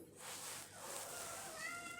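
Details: A domestic cat gives a short, tonal meow, as if asking for something, over a steady background hiss; its owner is unsure what it wants, since it already has food.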